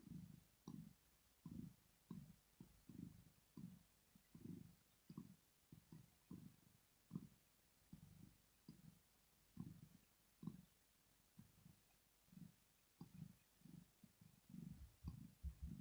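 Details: Deep purring from Rosetta, a cat asleep indoors, showing relaxation; a long run of short low throbbing bursts repeats steadily with small pauses between breaths, with occasional faint ticks above.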